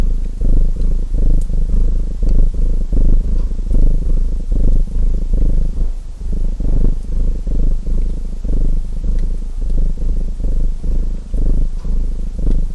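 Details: Domestic cat purring steadily, a low rumbling drone that swells and fades in short breathing cycles, with faint crackles of a fireplace in the background.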